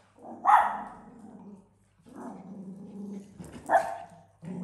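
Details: Dog named Africa, keen to play with cats that are already tired, in a home shared with exotic animals; two loud barks spaced about three seconds apart, each trailing into a low rumbling growl.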